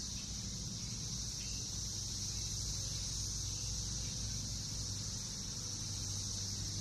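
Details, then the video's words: Periodical cicadas of Brood X, recorded in a Northern Kentucky backyard during the June 2021 emergence after 17 years below ground. A continuous shrill buzzing wall of sound holds steady from start to finish over a low, constant rumble. "Sounds of Cicadas in NKY, recorded June 2021"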